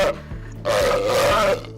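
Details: A northern fur seal at an aquarium gives a brief rough note, then a longer harsh, throaty growl; males growl low to defend territory and find mates, a sound that carries long distances.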